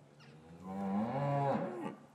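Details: Cattle mooing in an English farm yard on a winter's afternoon while calves were kept apart from their mothers, recorded on matched Rode M5 microphones; one full, loud moo lasting over a second, starting low, swelling, then breaking off abruptly.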